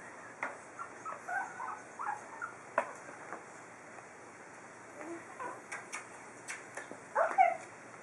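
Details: Four-week-old pug puppies taking their first steps outdoors: scattered short high squeaks and whimpers, brief yelps in clusters, with quiet gaps and a low steady background hiss.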